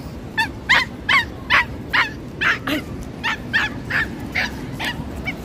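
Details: Stressed female pinscher at the beach barking nonstop: about twelve shrill, clipped yaps in quick succession, a little over two per second, fading slightly toward the end, with steady surf-like background hiss.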